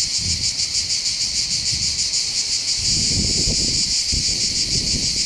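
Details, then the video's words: Cicadas singing together above Bandol's port in the Var, French Mediterranean coast: steady piercing buzz pulsing about three times per second, interrupted underneath by a few short bursts of low rumbling wind or rustling. "accompagné par le champ des cigales"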